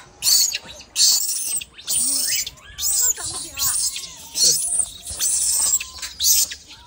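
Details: A baby monkey gives thin, squeaky calls that rise and fall when it can't get up, over bursts of hissing rustle.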